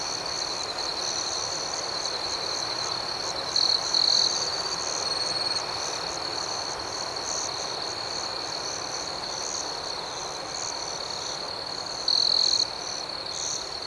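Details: Crickets chirp through the night outdoors, a continuous piercing trill beneath rapid rhythmic pulses, broken by short louder shrill notes around four and twelve seconds.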